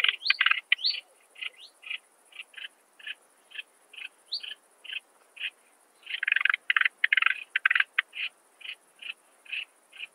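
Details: Song of the Alpine saw bush-cricket (Barbitistes obtusus) from Brixen, Italy, 11 September 2022, heard through an ultrasound detector: steady series of short rasping chirps about twice a second, with a denser run of rapid clicks midway.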